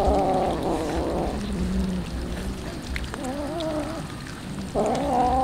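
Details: Street cats waiting for tuna feeding give low, wavering meows, two or three drawn-out cries separated by pauses, over a steady low background rumble.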